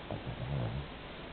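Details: An 11 kg Pomeranian named Ricky asleep indoors, giving a single low rumbling snore under a second long, pitched deep like an old man's, over a steady quiet room hiss.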